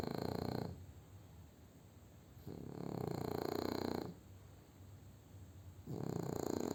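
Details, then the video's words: Júpiter, a French Bulldog, dozing after eating, snores in loud rough wheezing bursts about a second and a half long, three of them spaced by quieter breathing pauses of around two seconds. "BULLDOG FRANCÊS roncando"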